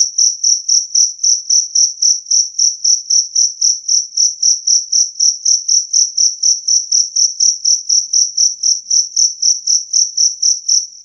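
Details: Two-spotted cricket (jangkrik kalung) chirping clear and loud, a recording offered to drive away rats: a high, pure ringing chirp repeated steadily about four times per second, with no other sounds.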